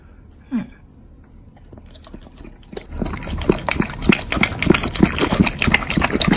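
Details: Doberman eating a pile of bacon, recorded close up for ASMR. Near-silence with a faint click opens, then from about three seconds wet, crunchy chewing bursts come in quick, uneven succession.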